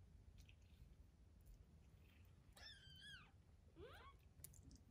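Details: Three-week-old foster kittens learning to play indoors give two short, high, harmonic meows: the first steady then dipping, the second a quick sharp rise. A low steady hum and scattered faint clicks run underneath.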